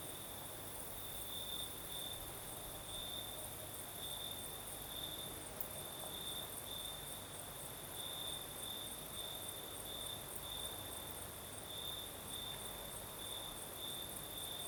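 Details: Crickets singing at night in the south, Crimea, with a night breeze: a steady high trill pulsing in brighter bursts every second or so, a continuous shimmering hiss above it and a soft broadband rustle below.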